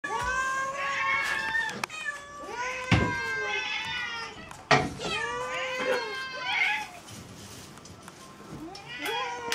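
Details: Several domestic cats meowing at feeding time indoors, overlapping drawn-out harmonic meows that rise then fall, one after another roughly every two seconds, with sharp clicks and clatter in between.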